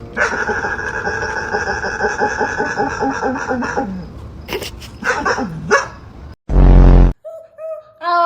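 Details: A dog making strange noises: a drawn-out, strongly harmonic moaning vocalization for about four seconds, followed by short wavering yelps and squeaks, then a sudden loud burst and a few brief high tones.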